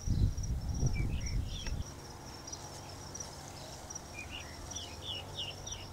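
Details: Giant grasshopper (Tropidacris collaris) in São Miguel do Gostoso, Rio Grande do Norte, Brazil: a thin, steady high buzz runs throughout, with short chirping notes scattered over it; low rumbling handling or wind noise fills the first two seconds.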